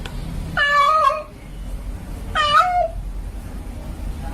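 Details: Domestic cat, female in heat, calls for a male with two drawn-out, wavering meows about two seconds apart, each sliding slightly downward, against a steady low background rumble.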